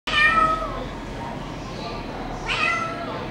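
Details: Bengal cat, a brown spotted tabby female born 23 January 2018, gives two meows: a loud, clear, slightly falling one at the start, then a shorter, softer one near the end, over a low steady background hum.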